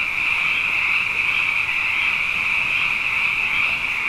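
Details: Abundant frogs at night, following two wet years: a thick, continuous high-pitched trilling chorus, steady in volume, individual calls lost in the blended drone.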